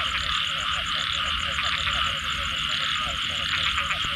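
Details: Frog chorus after rain: rapid, short, bubbly notes repeated many times a second in overlapping runs, beneath a loud continuous high-pitched trilling chorus and soft low rumble.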